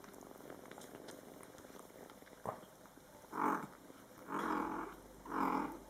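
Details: Mother cat Coco and her Scottish Fold kittens, born July 22, 2012, calling back and forth in their first month; three drawn-out tonal meows in quick succession in the last three seconds after a soft click.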